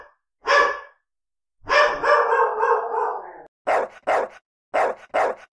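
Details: Angry dogs barking for real: one sharp bark, a sustained wavering growl-bark lasting nearly two seconds, then two pairs of quick, clipped barks.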